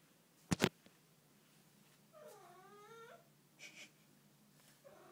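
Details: Domestic cat making an unusual vocal noise indoors: a sharp click, then a drawn-out, wavering meow-like call with rich harmonics lasting about a second, followed by a brief higher squeak and a faint start of another call.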